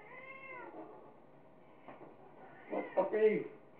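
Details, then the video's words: A cat named Munchkin in a playful dustup with its owner gives a smooth falling meow, then a louder, harsher protesting meow about two seconds later. Faint voices sit in the background. "Cat fight"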